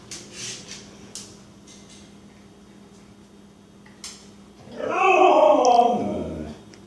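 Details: Siberian Husky. A Siberian Husky lets out a jealous, drawn-out yowl with a rough, wavering tone that sags in pitch toward the end. A faint human voice and small household noises come before it.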